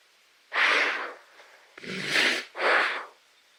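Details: Giraffe snorting: three breathy, broadband snorts in quick succession, each lasting about half a second, with a short quiet gap after the first and the last two nearly running together.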